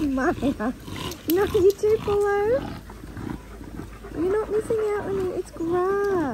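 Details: Linc, a baby Australian cattle dog, plays with bigger puppies in a paddock, giving a run of high, tonal, bending whines and yips, some rising and falling, short bursts tumbling one after another, with people talking nearby.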